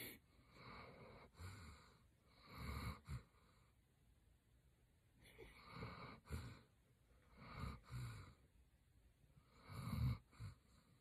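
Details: German Shepherd named Roxy snoring while asleep, low rumbling breaths in long pulses repeated roughly every two to three seconds, each with a fainter wheezy intake, in a quiet room.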